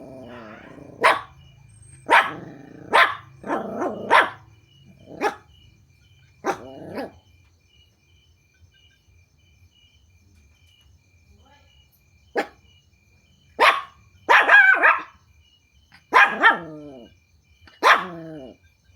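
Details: Puppies barking at strangers after hearing strange noises: sharp, high yapping barks in quick bursts, several clustered, then a pause of about five seconds before another run of yaps.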